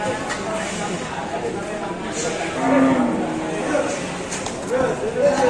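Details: Enraged cow lowing in drawn-out, wavering moos while watched by a large crowd in Indonesia; excited voices and exclamations overlap the calls.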